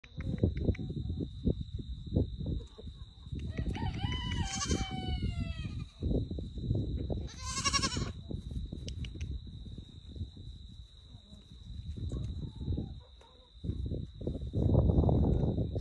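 A baby Nigerian Dwarf goat bleats twice, each cry thin, wavering and slightly falling in pitch. Steady low rumbling and handling noise fill the background, with a faint constant electronic whine.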